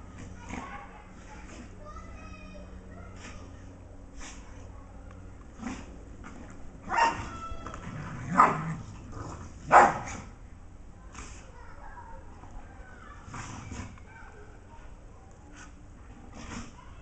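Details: Play fight between a Dogue de Bordeaux and a golden retriever named Arnie and Sam; scattered short barks and yips, three louder barks near the middle, with soft background noise between.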